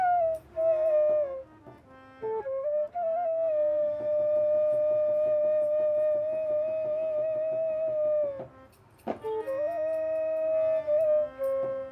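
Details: Flute melody with sustained notes over plucked string accompaniment, no animal voice present.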